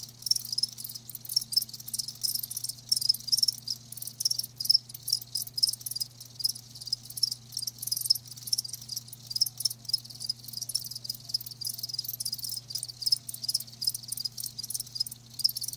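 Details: Crickets keep up an unbroken shrill chirping, fine rapid pulses with a thin bright tone threading through, and a soft low drone in the background.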